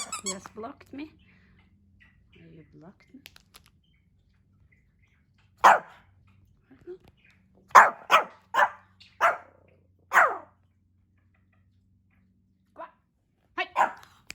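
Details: Pomeranian puppy Hendo, a pet dog celebrating his second birthday, gives a run of short sharp barks in two bursts, five close together in the middle then a pair near the end, after some quiet talking at the start.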